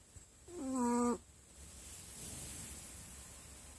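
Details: Asleep and snoring, a dog gives one nasal, buzzy-whistled snore of about half a second that drops at its close, then softer breathing noise.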